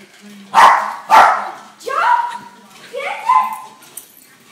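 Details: A puppy playing with and chasing a blue toy monkey, starting to jump; two sharp, short barks in quick succession, followed by two higher, drawn-out yelping cries that bend upward, over a faint steady low hum indoors.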